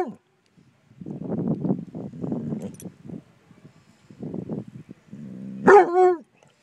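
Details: Basset hounds confronting a bumble bee: bursts of low, rough, harmonic baying and grumbling, a pause, then a loud wavering bark-howl near the end.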